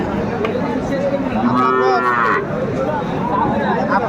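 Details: A single rising-then-falling moo from cattle at a Kurigram market in Bangladesh selling Sahiwal bull calves, 27 July 2024, heard through dense market chatter.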